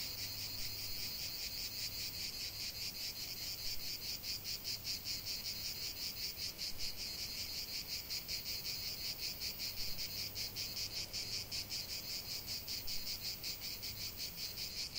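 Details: Cicada chorus out in nature, a shrill pulsing buzz repeating in fast even throbs, with a soft low hum drifting in and out underneath.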